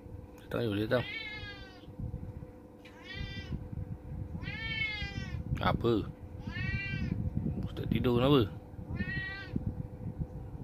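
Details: A cat called Oyen gives a series of drawn-out, harmonic-rich meows, about five across ten seconds, each slightly arching in pitch. Short sharp voice sounds and Malay speech break in between over a steady low hum.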